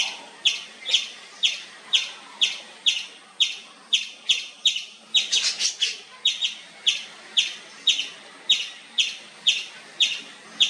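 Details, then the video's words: Loud nonstop chirping from an Indian palm squirrel: piercing short chips about twice a second, broken midway by a brief noisy rustling burst before the steady rhythm resumes. "Nonstop Loud Squirrel Chirping sound"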